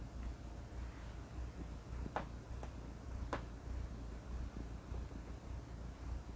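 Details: Domestic cat purring, a sound linked to contentment and relaxation; a steady low rumble pulsing in a slow, even cycle of breaths, with two faint clicks partway through in a quiet room.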